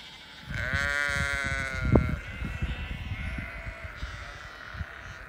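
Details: Hungry Lincolnshire Longwool sheep with their grown lambs in England, one long wavering bleat with rich harmonics rising and holding, followed by quieter overlapping bleats over steady low rumble and scattered thumps.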